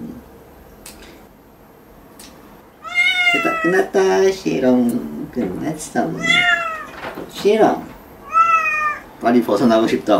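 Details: Domestic cat meowing while its claws are trimmed: several drawn-out, harmonic meows, some rising and bending, come in bursts over a few seconds, interleaved with human speech nearby.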